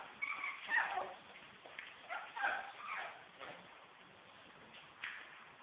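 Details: An apricot Toy Poodle puppy gives high, thin whimpers and short yips in a burst near the start, then a few softer squeaks with pauses and one last brief yelp near the end.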